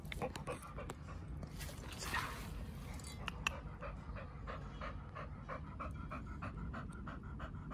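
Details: Oliang, a pit bull, eating raw beef trachea as a snack, breathes in a steady rhythm of short panting puffs alongside wet chewing and crunching noises throughout.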